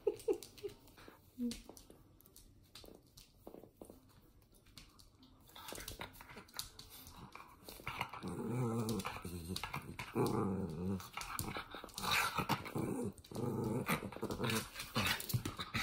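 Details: Toy Fox Terrier growling while playing around indoors; quiet at first with soft voices, then sustained throaty rumbling growls in uneven bursts through the second half, mixed with scuffling play noise.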